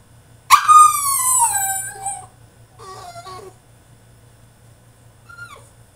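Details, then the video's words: French Bulldog in his cage throwing a tantrum, giving one loud drawn-out whining howl that slides downward, followed by a softer stuttering whimper and a brief faint squeak. "FRENCH BULLDOG THROWS TANTRUM IN HIS CAGE!!"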